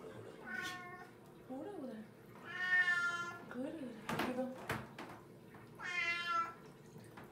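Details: Eight-year-old pet cat being given a bath indoors at home in Korea, meowing in protest: three drawn-out, wavering meows with strong harmonics, between them a woman's soft speech and the splash of running water.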